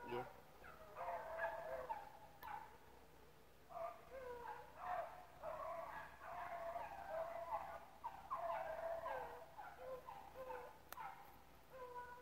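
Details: Hounds running rabbits at Relay Hunt club, young pups in the mix; a chorus of overlapping musical bays rises and falls in bursts about every second or two, separated by brief lulls.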